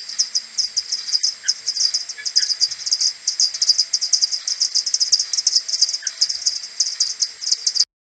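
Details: Common pipistrelle maternity colony returning to its roost in the morning on 21 May, recorded on an Audiomoth and slowed tenfold: dense, rapid, overlapping ticking pulses repeating continuously, with several bats calling at once.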